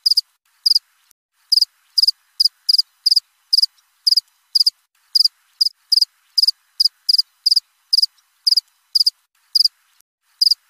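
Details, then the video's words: Cricket giving a steady run of short high chirps, roughly two per second with uneven gaps, each burst sharp and ringing, nothing else audible behind it. "Suara jangkrik krik.. krik.."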